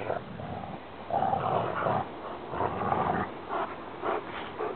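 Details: Two Rottweilers, a brother and sister, play fighting over a rope give deep guttural growls in rough bursts of about a second, rising and falling in intensity, with breathy snorts between.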